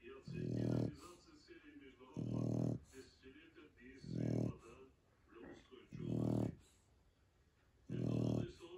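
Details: Shar Pei dog asleep, giving five deep, throaty snores at steady intervals near two seconds, separated by quieter nasal breathing.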